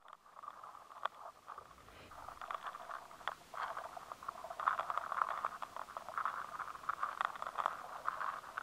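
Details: Rice weevil larvae gnawing inside grains of soft wheat and rice, taken with a high-sensitivity recorder: dense crackling scrapes and clicks in a steady band, building through the clip into a continuous busy chatter of tiny bites.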